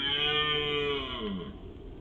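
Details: A young male red deer (brocket) wallowing in 2019 gives a drawn-out, nasal bellow that slides downward in pitch toward its end.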